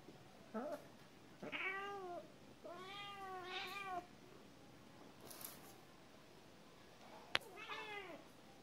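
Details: Domestic cat meowing repeatedly, a mix of brief and drawn-out arching meows with clear harmonics, one sounding doubled, with quiet gaps between, a sharp knock near the end.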